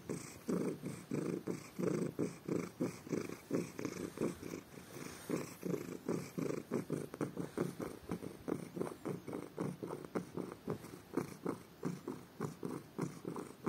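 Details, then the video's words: Loud, pleasured purring from a pet male cat whose ears are being rubbed in the morning; even, throbbing low pulses repeating quickly and regularly across the whole stretch, quiet room. "Rubbing my cat's ears leads to loud purring."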